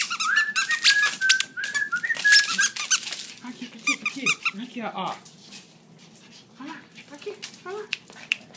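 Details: Indoors, a Maltese and a Yorkshire terrier play excitedly on their owner's return from an overnight shift, amid rapid high squeaks and a steady whistle-like toy squeal at first, then scattered yelps and chatter.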